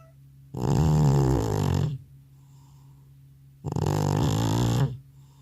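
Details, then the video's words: Loud snoring from an old cat sleeping soundly indoors after a vet visit: two coarse, buzzing low snores of about a second and a half each, separated by a hushed pause of roughly two seconds. "나의 늙은 고양이의 우렁찬 코골이 리얼사운드"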